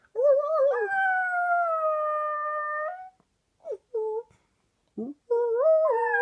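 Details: One-year-old male Shetland Sheepdog singing: long, steady, tonal howls that rise slightly and hold level for about two seconds, then short broken yelps, and a final wavering howl climbing in pitch.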